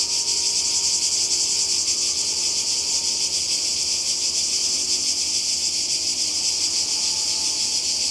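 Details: Seaside cicada chorus in Croatia, summer 2020: a loud, high, sizzling buzz runs without pause, steady in volume with a fine fluttering pulse, filling the whole stretch.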